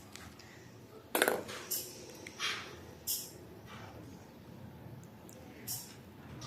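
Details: Quiet indoor room with scattered clinks and taps of small hard objects, a faint murmur in the background and no animal voice.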